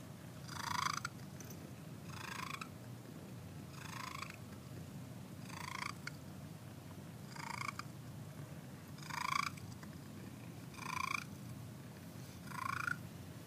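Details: Cricket, a pet cat, enjoys a Sunday morning with a steady low rumbling purr, punctuated by brighter raspy breaths that swell and fade about every one and a half to two seconds.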